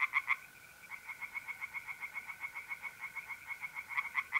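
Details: Night in mid-April at a North-East Italian pond: a tree frog's quick pulsed croaks tick along at moderate volume, louder bursts at the start and end, while mole crickets keep up a level, continuous trill.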